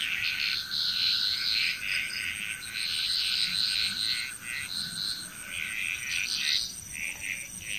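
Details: Frogs calling together in Bali, Indonesia, a busy overlapping chorus of short raspy croaks pulsing several times a second, rising and falling in bursts above a constant thin insect whine.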